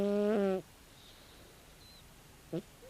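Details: Sleeping calico cat, 16 years old, giving a loud half-second snore with a low, buzzy tone, followed by quiet breathing and a faint short snort near the end.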